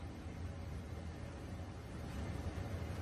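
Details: Low, steady rumble like a passing vehicle or engine, with no animal voice heard.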